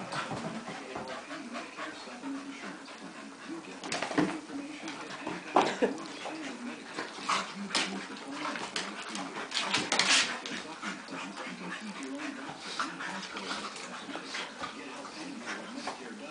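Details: Daisy, a Golden Retriever, and Shelby, a Flat-Coated Retriever, playing together: low rumbling growls and whines run throughout, broken by sharp bursts of scuffling and snorting, with a human voice faintly heard.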